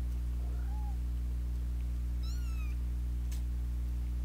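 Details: Kittens fighting, with an older sister cat nearby; a faint short mew, then a louder arched meow sliding downward, over a steady loud low hum.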